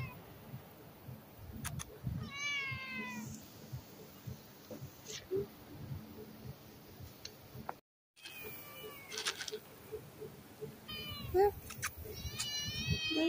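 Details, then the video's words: Stray male cat meowing loudly to ask for food for himself and his female companion; several drawn-out, wavering meows come in small bursts, with quiet background rustling and a brief silent gap midway. "Cute Stray Cat Meows Loudly and asks me to feed him and his girlfriend"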